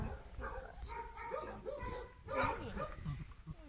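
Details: Suegro, a cheerful, sociable German Shepherd puppy, making a run of short curved whimpers and yips, clustered in quick pairs with a louder burst near the middle and fading squeaks at the end.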